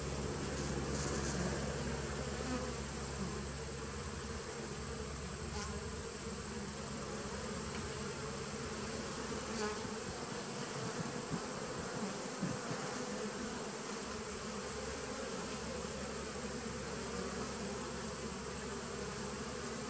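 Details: Constant low humming from a 2017 bee nuc, recorded 19 September 2018, a thick layered drone that rolls on without a break for twenty seconds, with a few faint taps and knocks toward the middle.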